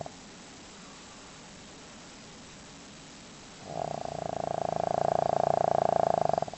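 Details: Sleeping pet dog Leo snores heavily; after several quiet seconds a single long, steadily fluttering snore rises and holds for nearly three seconds before stopping abruptly.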